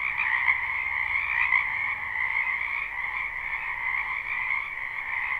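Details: Many wild frogs calling in spring from a wetland behind a house, a live recording: a dense, unbroken chorus of high, steady trilling croaks layered into one continuous shimmering wall of sound, no gaps or pauses.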